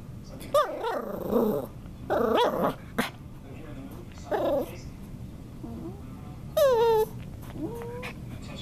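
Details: Playful Norwich Terrier puppy growling and whining during puppy antics: rough, grumbling growls in bursts, a sharp yip, then a high rising squeal and a short whine near the end.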